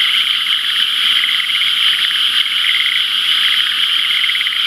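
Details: Many frogs calling together in rice paddies pooled with rainwater from the day before, channels not yet flowing; a constant high, buzzy trill with regular pulsed beats layered through it, cricket-like in texture.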